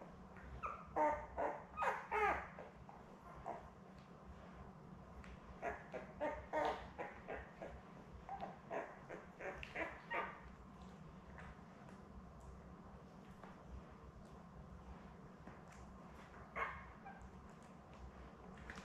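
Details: Young Labrador Retriever pups from Belle's litter of seven, born May 24, 2021, filmed by puppy cam on June 4. Bursts of short, thin squeaks and whimpers cluster in the first ten seconds, then fade to quiet room hum.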